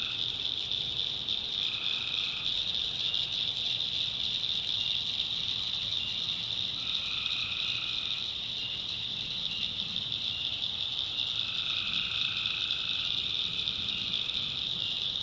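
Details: Night chorus of tree frogs in a swamp in the North Carolina backwoods. A constant shrill high buzz carries throughout, with lower croaking bands rising every few seconds and then dropping away.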